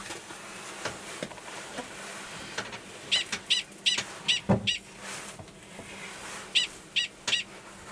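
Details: Gunnison's prairie dog male 45 calling to an estrous female underground, Valles Caldera, New Mexico, March 2017; amid steady background noise and knocking sounds, a run of five high barks, a short gap, then three more.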